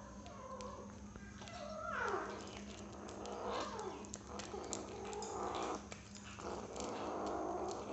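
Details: A 6-week-old kitten eating cat food for the first time gives a few short, falling, harmonic meow-like cries, spaced irregularly over a steady low electrical hum and faint clicks.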